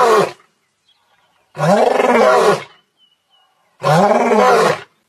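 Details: Lion calling: three loud, hoarse, moaning roars, each about a second long and spaced about two seconds apart, with near silence between them.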